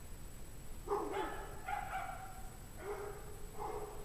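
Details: Dogs in a pack barking on a freezing 17°F January evening in 2009, around 5 PM; four spaced, ringing barks with layered overtones, the middle ones stretched and whining, steady background hum.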